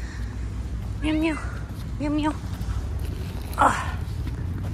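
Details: Hungry stray cat at the roadside, wanting food and trying to open a school bag, gives two short, even meows about a second apart, then one brief higher cry, over a steady low rumble of outdoor traffic.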